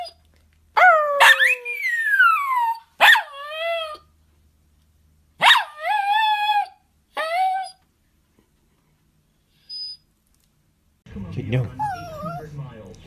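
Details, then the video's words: Barking poodle from a 2016 compilation: four or five loud, ringing yelping barks, each with a falling tail, spaced a second or two apart, followed by silence and then a person's voice. "POODLE BARKING - POODLE HOWLING AND BARKING COMPILATION 2016"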